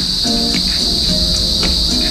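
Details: Crickets in the countryside of Balanga, Bataan, the only sound there besides people, give a steady, unbroken high-pitched trill throughout, with soft speech-like murmurs in the lower range.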